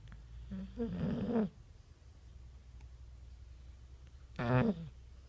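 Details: Boxer dog snoring while asleep and dreaming: a rough inhaled snore turning into a short nasal whine, then after about three seconds a second brief, loud snorting snore over a low background hum.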